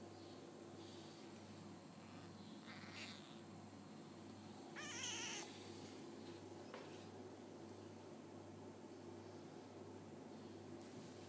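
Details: Five-day-old F1 hybrid Bengal kittens, sired by a leopard cat (Felis bengalensis) out of a Bengal mother, give one thin, high mew near the middle, with fainter cries around it over a steady low hum.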